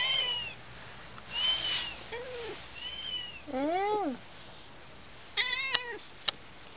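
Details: Cat talking to itself. Varied thin, high meows: a sliding squeak, short arched mews, a louder bending call, then a rapid stuttering chirp and a sharp click.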